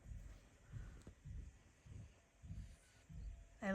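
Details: Sleeping female French Bulldog snoring after a restless night: soft, low rumbling breaths repeating roughly every half second, with a woman's voice speaking at the end.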